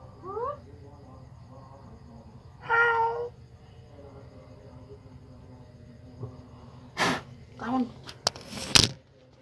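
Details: Frightened cat reacting to a strange sound: short rising squeaky notes, then a drawn-out harmonic meow, followed by sharp clicks and thumps, with a person's voice nearby.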